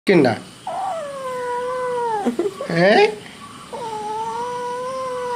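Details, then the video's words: Kitten meowing while a person talks to it in Malayalam indoors: a short squeaky note, then two long drawn-out, fairly steady meows separated by brief vocal bursts, with human speech mixed in. "Discussion with kitten / കുഞ്ഞനുമായുള്ള സംഭാഷണം"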